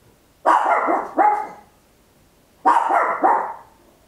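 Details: Very loud barking by a tiny Papillon at home, in two pairs: each a long harsh bark quickly followed by a shorter one, the pairs about two seconds apart.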